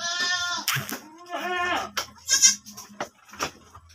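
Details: Goat kept by its owners, which has given birth again, gives a steady harmonic bleat at the start, then shorter nasal cries and broken calls over low background rumble and handling noise.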